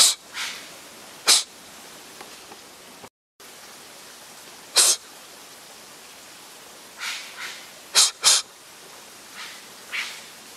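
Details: Hostile snorting exchange between a wild Japanese serow and a person on a trail beside a mountain stream, Japan, mid-September 2012. Irregular breathy bursts, some soft and some loud and sharp, spaced one to several seconds apart, with a brief silent gap.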